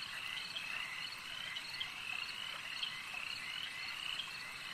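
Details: A crowd of frogs calls together at a lake, their trilling croaks merging into an unbroken pulsing drone, punctuated by brief louder notes at irregular moments.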